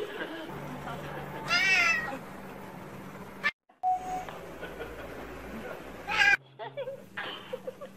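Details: Domestic cat in a funny-pets compilation: two short, bright, harmonic meows, the first near the start and the second about four seconds later, over a steady low hum with faint human voices in the background.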